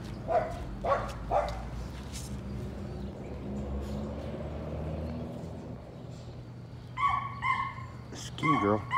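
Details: Patterdale Terrier pups, including a small black female named Cricket, during evening rat work in their pen. Three sharp yips open, then a stretch of low hum and faint movement, and a tight cluster of excited high barks closes.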